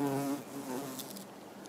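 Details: Buff-tailed bumblebee foraging on rose mallow hibiscus flowers; a loud, steady, low droning hum with clear harmonics, fading and wavering in pitch as the bee moves.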